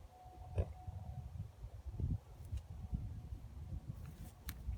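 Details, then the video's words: Odd, pig-like low grunts and snorty rumbles from two geldings kept together for years, coming in uneven pulses throughout, with one sharper burst early on. "Horses making WEIRD noises"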